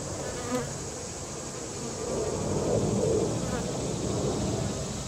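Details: Marked Western honey bees (dotted with paint for bee hunting) feed on sugar syrup at a feeder and will recruit nestmates. Their low, steady buzz of many wings swells slightly midway.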